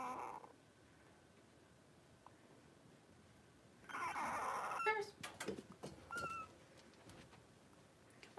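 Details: Three-week-old blenheim Cavalier puppies, five littermates born at New Year, wrestling in an indoor pen; a loud, rough squealing cry around the middle, followed by clicks, scuffles and a short high squeak.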